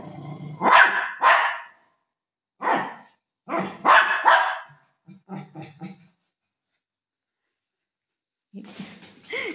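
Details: Golden retriever playing with its owner, giving rough, loud barks in short irregular bursts, some in quick pairs, with long pauses between, a woman talking in Marathi nearby.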